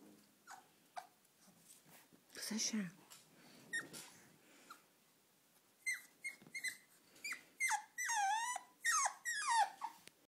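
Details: Excited French bulldog drawn to slippers, indoors: a person speaks at first, then a run of short, high squealing whines and yelps comes in quick, uneven bursts, several wavering and falling in pitch toward the end.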